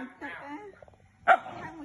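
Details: Pet dog Lucas responding when called for a bath: after coaxing human speech, one sharp, loud bark-like yelp with stacked harmonics, followed by quieter voices.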